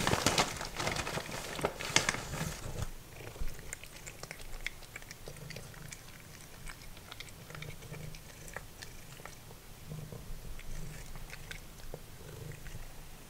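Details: Simba, a formerly feral cat, eating dried minnows like chips: loud crunching and rustling at first, then a soft low purr running under scattered chewing clicks.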